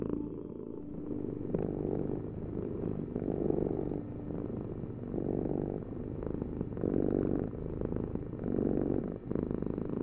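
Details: Close-up cat purr, a throaty low drone that grows stronger in long waves every one to two seconds, with a faint steady tone underneath.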